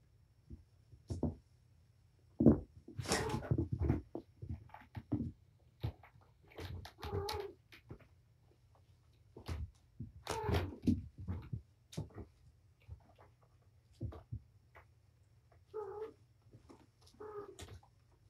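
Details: Domestic cat Patience, a surrendered mother of five kittens (four males, one female), in a wound-up play session with her litter indoors; thumps and scuffles of play fill the room, with two short harmonic mews near the end.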